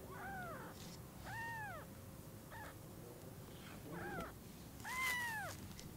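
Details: Newborn kittens with freshly opened eyes meet their mother cat for the first time at Lucky Paws. Five arched meows come about once a second, the last the loudest and highest, with faint room noise behind.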